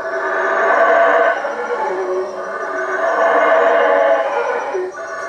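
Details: Howler monkeys in the treetops around a hut by Lake Peten Itza, Guatemala, roaring at night; a dense, continuous growling chorus with two long swells and barely a pause between them.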